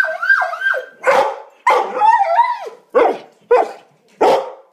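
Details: Dog crying like a baby: a string of loud, wavering whines and yelps, some rising then falling, others sharp and broken, coming in bursts about every half second to second with brief quiet gaps.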